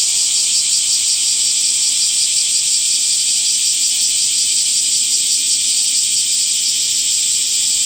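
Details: A constant wall of shrill cicada buzzing in summer, rapidly pulsing and even in loudness from start to end, with nothing else clearly heard.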